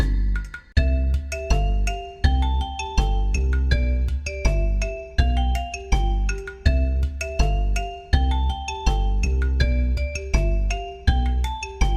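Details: A bright marimba-like mallet melody plays in a steady repeating rhythm, with no animal sound.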